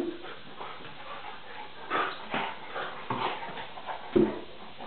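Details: Tarka, a Vizsla puppy of three and a half months, plays with NooNoo the pointer indoors; rough bursts of growling and short whimpering yelps come at irregular intervals, looking like a fight though only play.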